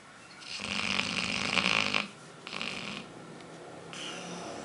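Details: A sleeping female dog named Aila, nicknamed Lalá, snores while dreaming indoors: a long rasping snore, a shorter second one, then a softer third, each breath a broad hiss with a low rumble underneath.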